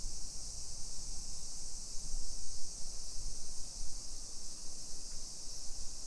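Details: Cicadas droning on a July 2021 summer afternoon in residential Nisshin city, Aichi Prefecture, Japan, recorded on a walking tour: a loud, continuous high-pitched sizzling buzz dominates, underlaid by low rumbling footsteps and street noise.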